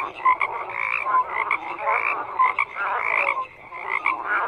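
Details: Many frogs croaking together in a thick chorus, rasping pulsed calls overlapping with a few clear short whistle-like notes, swelling and fading in uneven waves.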